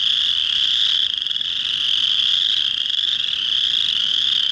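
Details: Male chorus frogs sing at a pond in early March, on the first warm rainy days of spring, to attract females. Their dense, high rasping trills blend into one steady, shimmering drone.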